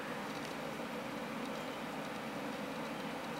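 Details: Dense, steady hiss-like broadband noise resembling machinery, with no animal voice discernible.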